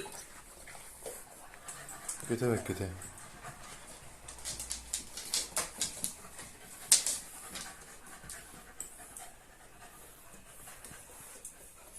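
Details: Cocker Spaniels, a puppy called Kara Kız and an adult called Simba, out on a night walk; a short burst of human speech early on, then a run of rhythmic breathy pants, evenly spaced, fading into quiet background hiss.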